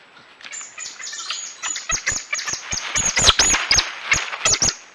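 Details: Coati giving a rapid series of high, sharp chirps and squeaks, some with quick rising-then-falling sweeps, mixed with brief clicking bursts that quicken and grow louder toward the end.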